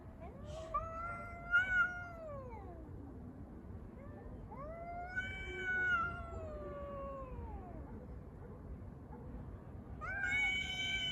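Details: Stray street cats fighting and making strange noises over a litter box; two long wavering yowls that swell then slide downward, each lasting several seconds, followed by a sharper higher wail starting at the end, faint low hum beneath.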